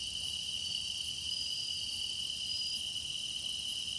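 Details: Singing grass insects for meditation in the deepening season: a constant high ringing trill, shimmering upper chirps and two short pure whistled notes, all over a soft low hum.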